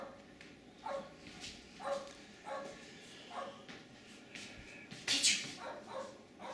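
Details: Jack Russell Terriers Jasper and Jaclyn playing in the snow in a suburban St. Louis backyard on February 24, 2016; short barks repeat about every half second, ending in one louder, harsher burst.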